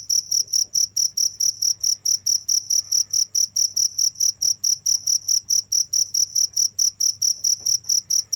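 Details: Continuous cricket chirps, sharp shrill pulses coming roughly twice a second without pause over a quiet low background hum.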